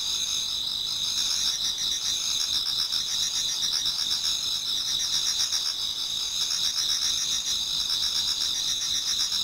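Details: Insects of autumn chorus in a Japanese garden as dawn approaches, shrill unbroken trilling in high bands, with rapid pulsed chirps swelling in slow waves through the recording.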